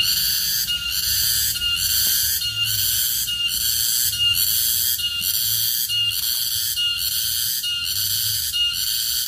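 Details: Garengpung cicada (tonggeret), a wild forest insect, producing a loud, high, shrill tonal whine that pulses rhythmically, roughly once per second, in a steady unbroken chorus. Faint low murmurs underneath.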